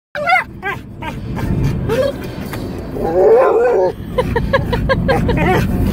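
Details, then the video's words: Pet dog yodeling inside a car: short wavering tonal yips and a longer warbling howl in the middle, over low engine rumble. "my dog yodeling in the car"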